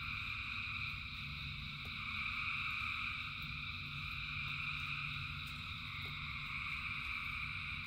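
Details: Frog chorus in rain, many callers merging into a continuous shrill, pulsing drone at several pitches over a constant low patter of rain and a few sharp drips.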